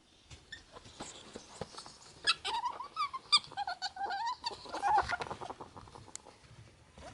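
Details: Two pet ferrets, a sable and a cinnamon, wrestling after a bath, recorded 11 May 2014; one gives a wavering, chuckling run of rapid clucks mid-clip, with scuffling and thumps of play.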